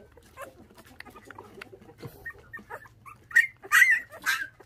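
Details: Orphaned puppies, one of five that lost their mother to dog thieves at six days old and are now bottle-fed with milk, give soft scattered whimpers that build into louder, high squealing cries over the last second.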